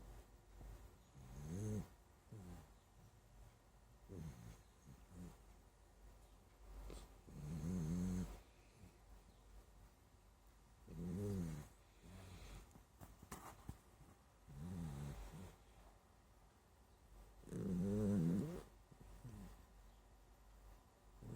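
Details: Sleeping dachshund snores steadily, each low, throaty rumble lasting about a second and returning every two to three seconds, some snorts louder and buzzier, with a faint breathy hiss in between in a quiet room.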